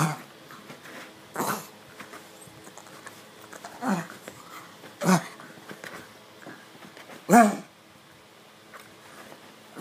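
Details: A pug scratches his itchy neck indoors. He lets out loud, breathy grunting snorts in separate bursts about every two seconds, with quieter snuffles in between.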